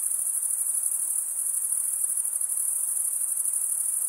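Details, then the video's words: Cricket chorus giving a shrill, continuous high trill with a quick shimmering pulse, roughly three beats per second, steady and unaccompanied by other noises. "Most relaxing cricket sound for 8 hours"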